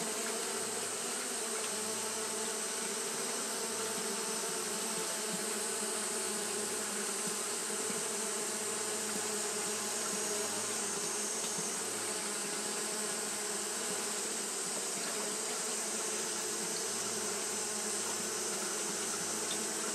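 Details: Fanning Japanese honey bees on a hot day produce a rich, continuous hum of stacked tones, with a low throbbing pulse underneath that swells and fades every couple of seconds.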